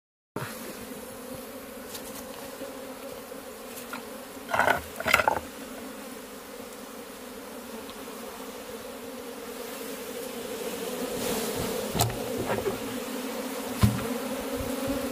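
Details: Honey bees in cultivation, a steady hum with bands near 250 and 500, brief louder bursts around four to five seconds and the drone swelling gently toward the end.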